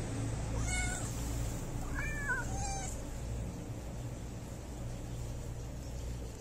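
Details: Homeless street cats sleeping at a house door give several wavering meows, some rising then falling, over about two seconds, against a steady low hum.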